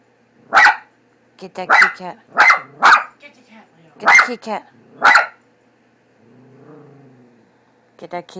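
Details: Leo, a pet dog frightened by the cat picture on a cat food bag, lets out six sharp, broad barks in an uneven series over about five seconds. A person's voice talks between them.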